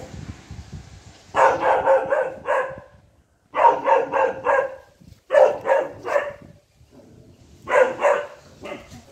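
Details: A Saint Bernard puppy barks after seeing a monkey. It gives four bursts of three or four sharp, yelping barks each. The bursts come roughly two seconds apart, with quiet low rumbling in the gaps.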